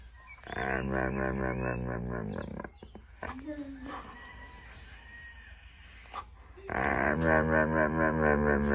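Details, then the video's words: Siberian Husky making sputtering, engine-like vocal noises: a wavering, harmonic yowl lasting about two seconds, a stretch of quieter rough grumbling sounds, then another loud, warbling yowl at the end. "Husky’s engine won’t start"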